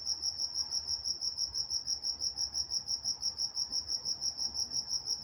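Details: Walnut, California crickets calling at night, a clean, high, rhythmic chirping about three pulses a second, with a faint overtone band and nothing else prominent.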